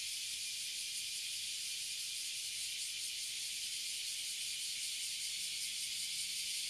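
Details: Massed Abura Zemi and Kuma Zemi, the Oily and Bear Cicadas, in a tree at Toyohashi City, Japan, keep up a continuous, intense, shimmering high buzz throughout.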